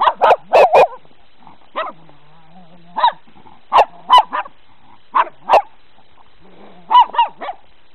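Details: Several dogs meeting snow for the first time bark in quick clusters of two or three, repeated roughly every second or two, with a low drawn-out whine in the gaps.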